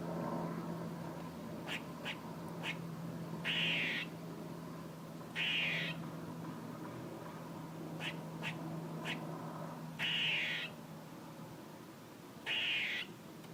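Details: A squirrel making noises: loud, harsh buzzing notes about half a second each, repeated every two to three seconds, mixed with brief clicking chucks and a constant low hum underneath.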